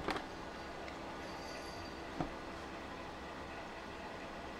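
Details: Quiet indoor hum with a couple of faint knocks; no animal sound is heard.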